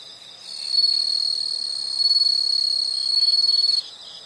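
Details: Insect chorus in nature: a loud, continuous, very high-pitched ringing trill swells in after half a second, pulses slightly and holds steady for about three seconds, then drops back to a softer buzzing background.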